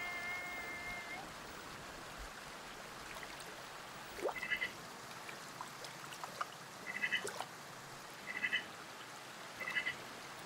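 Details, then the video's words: Sea otter making short, sharp, squeaky chirps in small clusters, repeated roughly every one to two seconds, following a brief tonal note at the start, over a steady wash of flowing water. "Sea otter sounds and video. HQ otter sound effect."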